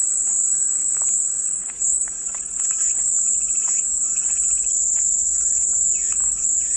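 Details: Cicada chorus as calming white noise: a dense, continuous high buzzing drone, steady throughout, with faint chirps of other insects or birds beneath it.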